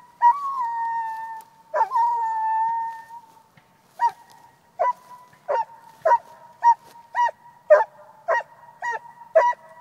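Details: Coonhound giving two long, drawn-out tonal howls, then a run of short, clipped barks repeated about every half second, all on a steady mid pitch, with no other sounds.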